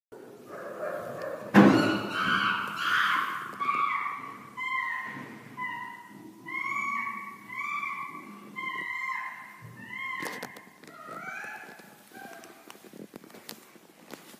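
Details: Chimpanzees making loud noises: a loud harsh burst near the start, then a long series of repeated hooting, whistle-like calls with stacked harmonics, roughly one per second, fading out with scattered clicks and thumps.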